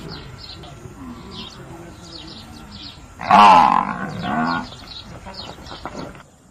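A water buffalo gives a loud, hoarse bellow that swells suddenly and fades over about two seconds.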